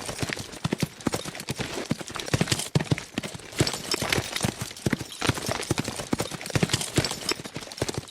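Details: Quick-moving horses galloping, hooves beating out a busy, slightly ragged rhythm of heavy thumps and bright clacks that rise and fall in short surges.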